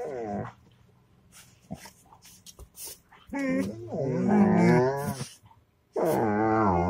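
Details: Dog giving a growling, groaning vocalization. A short moan comes first, then a long rumbling, wavering howl-like growl of about two seconds, and after a brief silence another sustained wavering moan.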